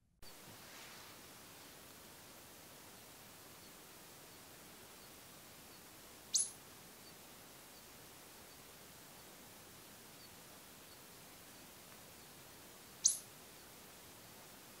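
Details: Ezo pika in the Daisetsuzan mountains of Hokkaido during the autumn pair-formation period, when male and female call back and forth. Two short, sharp, very high squeaks about six and a half seconds apart over a quiet, steady background.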